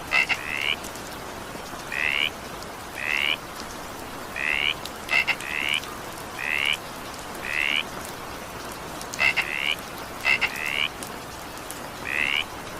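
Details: During an evening downpour, frogs give short rising croaks in a regular series, about one per second, some preceded by sharp clicks, with constant rain hiss beneath.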